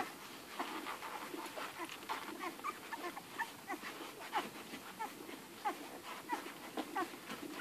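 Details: Eleven hungry Irish Red and White Setter puppies nursing from their mother; a dense mix of high, thin squeaks and short whines, with soft suckling and shuffling noises running throughout.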